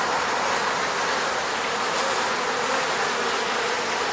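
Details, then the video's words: Honey bees in the Moscow region buzzing around their beehive at an eco-apiary, an even, unbroken hum of many wings, steady in loudness throughout. "sound of bees buzzing around beehive."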